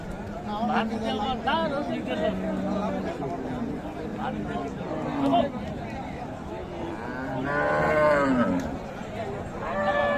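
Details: Raniganj cattle market in Dinajpur: scattered moos from bulls and cows rise over constant crowd chatter, one fuller bellow standing out near the end.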